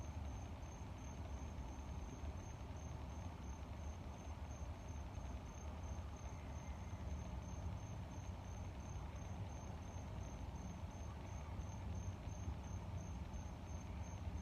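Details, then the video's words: Continuous high-pitched cricket chirps, short evenly spaced pulses about three per second throughout, partly buried under a heavy constant low-frequency rumble of moving air. "Air and cricket sound with growling"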